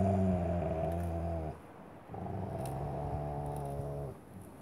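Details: A 9-month-old male Boweiler puppy gives two long, deep, drawn-out barking cries, each lasting over a second, into the face of a 3-year-old Rottweiler that is pinning the stick during play.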